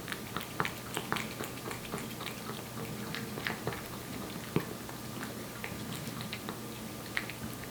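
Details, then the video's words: Aeppi, a year-old Korean Shorthair cat, eats wet food. The close, steady chomping comes as irregular clicks and wet smacks, several each second, with a few louder bites over a low, even background hum. "촵촵 습식사료 먹는 소리, 고양이 리얼사운드"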